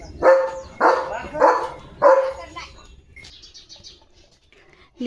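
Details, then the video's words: Leo the German Shepherd in a playful morning romp: four rapid, loud barks in about two and a half seconds, then quieter high-pitched background sounds and a short final note. "Leo The German Shepherd Morning Fun"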